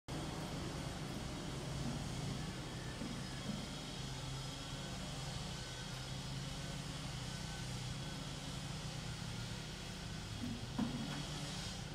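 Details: Steady outdoor urban rumble of passing vehicles and distant engine noise, with a faint knock near the end and no animal call.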